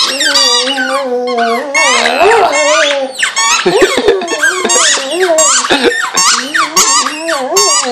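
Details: Pet Vizsla dog, male, whining and howling at a squeaky toy inside a room. Wobbling drawn-out howls persist beneath loud repeated squeaks of the toy and brief remarks from a woman.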